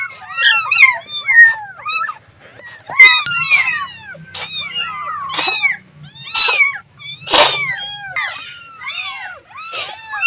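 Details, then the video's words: A baby cat calls to its mother amid a chorus of overlapping kitten mews. The cries are short, high and arched, come in rapid clusters with a few sharper squeaky peaks, and carry a faint low hum behind them. "The sound of a baby cat calling its mother"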